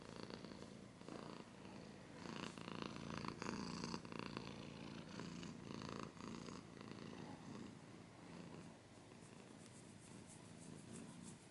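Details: Purring house cat recorded close, a low rhythmic rumble louder at first then softening, with scratching noises throughout.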